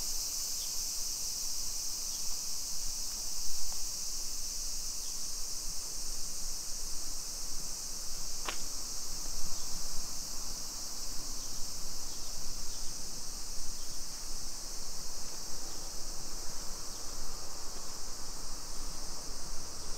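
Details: Steady shrill cicada chorus along a neighborhood street in Nisshin near Nagoya, Japan, summer afternoon of 28 July 2021 at 2 PM; unbroken buzzing with one sharp click partway and low ambient rumble.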